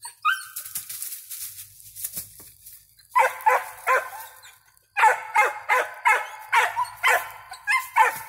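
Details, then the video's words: Five-month-old squirrel dog named Ranger barking with a squirrel treed, sharp harmonic yelping barks in quick bursts, a brief pause then a steady run of about eight barks, some faint rustling between. "5 month old lakebottoms Ranger treed with the squirrel"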